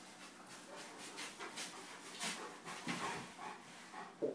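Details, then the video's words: Marley and Fado, a Bernese Mountain Dog and a Golden Retriever, at play: a steady run of breathy puffs and snorting bursts about every half second, ending in a sharp louder thump. "Marley & Fado zabawa"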